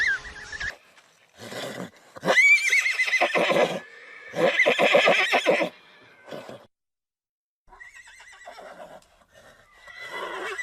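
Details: Horse whinnying in several loud, shaky bursts with a high tremulous tone that falls away, broken by short pauses and a quiet gap before softer, fainter whinny fragments near the end.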